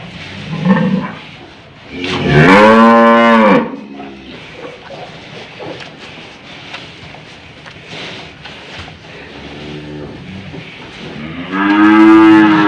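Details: Old, tough cow having a nose rope fitted, giving two strong drawn-out moos about nine seconds apart, each a rich harmonic low lasting over a second. A fainter bellow comes between them over quiet handling noise.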